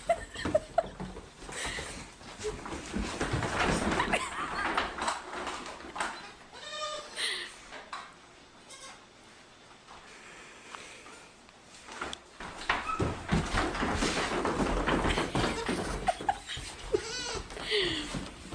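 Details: Goat kids playing and chasing on a farm: short wavering bleats break through now and then amid people talking, rustling and general farmyard noise, with a quieter stretch in the middle.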